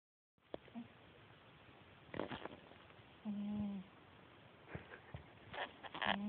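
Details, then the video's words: Sleeping cat snoring: two short, steady whistled nasal tones with soft overtones, about three seconds apart, amid faint clicks and rustles in a quiet room. "Snoring cat"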